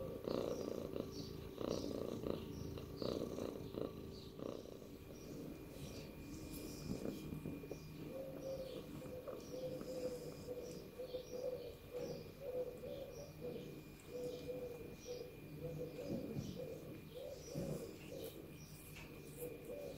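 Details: Domestic cat purring, a steady low rumbling drone that runs unbroken through the whole stretch, with faint soft clicks and rustles over it.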